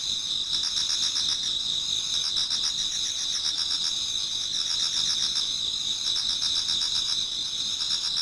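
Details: Dense insect chorus from a Japanese garden in autumn before daybreak; shrill sustained trilling with bursts of quick pulsed chirps that swell and fade in groups.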